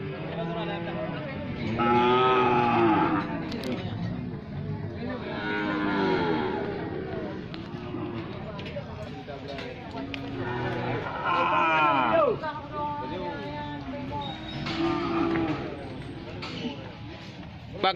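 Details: Several Brangus cattle bellowing in turn: loud, deep moos with arched, wavering pitch recurring every few seconds, overlapping at times, against a constant noisy background.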